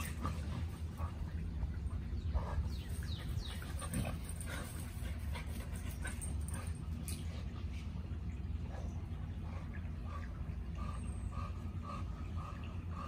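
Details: Playing American Bully pair, Gucci boi aged 10 months and puppy Nala aged 11 weeks, trading rapid squeaky yips and whimpers, thickest early on and thinning later, over a low droning hum.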